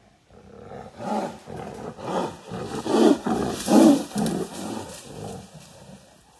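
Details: Wild Siberian tiger roaring in overgrown woods near Sokolovka, Lazovsky district, Primorsky Krai, far-eastern Russia, beneath mushroom pickers sheltering up a tree; a series of deep, pulsing roars swelling and fading roughly once per second, loudest mid-clip.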